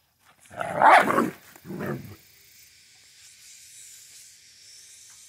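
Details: Central Asian Shepherd named Safarik, Michigan: one loud, deep bark followed by a shorter, softer second bark, then quiet with faint background hiss.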